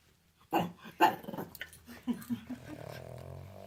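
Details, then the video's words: A pet pug named Derp, having a hard time in a small room, lets out snorting, growly yaps in quick succession, then settles into a steady low rumbling growl. "Pugs life, funny sounds compilation"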